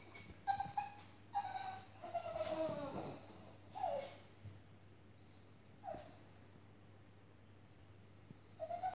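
Short, high-pitched whines come from a Staffordshire Bull Terrier left behind by its owner, each a tonal, slightly falling whimper repeated every second or two. A steady low electrical hum runs underneath throughout.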